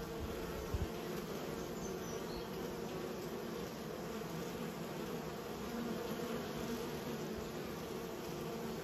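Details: Honey bees in a beekeeper's care hum steadily, a low layered drone with two quick clicks near the start.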